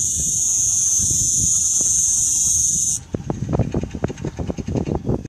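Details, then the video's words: A cicada in Mellieħa gives a loud, high, continuous buzzing drone that later turns fainter and pulsed. "Cikáda"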